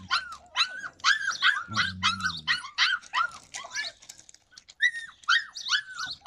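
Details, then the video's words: Yakutian Laika, July 2020: rapid, closely spaced high yelps and barks in an uneven stream, with a brief low humming sound beneath them partway through. "Yakutian laika"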